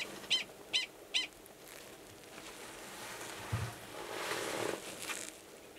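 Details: Mating call of a male Gunnison's prairie dog near a burrow with an estrous female, Valles Caldera National Preserve, New Mexico, March 2017; three quick high chirps open the clip, then faint rustling and background noise.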